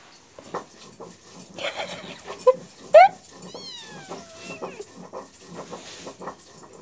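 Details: Two young cat brothers playfully fighting on a person's lap; a sharp squeak is followed by a long meow sliding downward from high to low, over soft speech and rustling.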